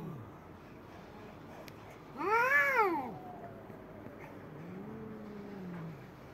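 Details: A white cat and a black cat squaring off. A single loud yowl rises and then drops away, followed by a quieter, lower drawn-out moan over a faint background hum.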